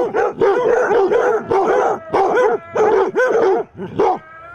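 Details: Basset hounds baying at a mechanical Halloween cat during Halloween setup; deep, curved, howl-tinged barks in quick bursts of two or three, overlapping voices.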